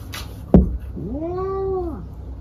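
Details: House cat letting out a single long, level meow that swells and then drops away, preceded by a sharp knock or thump.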